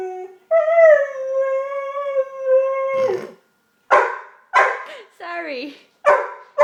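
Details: A domestic dog making weird noises indoors gives a steady, sustained tonal howl of about two and a half seconds, then a run of short, harsh, bark-like yelps about every half second.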